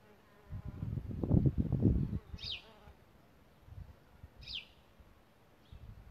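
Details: Solitary bee at its nest site in a bug hotel, giving a close buzzing drone that swells for about a second and a half, then fades away. Two short, high, descending bird chirps follow.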